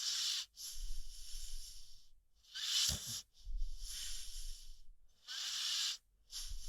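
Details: Rocky, a sleeping American Pit Bull Terrier, snoring with airy, hissing breaths that swell and fade in slow cycles of roughly three seconds, separated by short quiet gaps, with a faint low rumble beneath some breaths.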